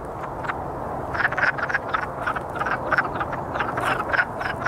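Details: Chorus of courting wood frogs giving short, rough clucking croaks, sparse at first and then coming in closely spaced bursts, with several frogs overlapping against a steady background hum.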